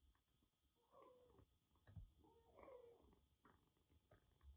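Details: Rescued kitten Jura, found soaked during record heavy rain in western Japan with severe cat flu, indoors with a much bigger senior cat: two soft, quiet meows about a second and a half apart over low room rumble.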